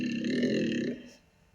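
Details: A Corsican red deer (Cervus elaphus corsicanus) gives a single deep, rasping roar lasting about a second, produced with its larynx lowered while vocalizing, a trait that makes males sound larger.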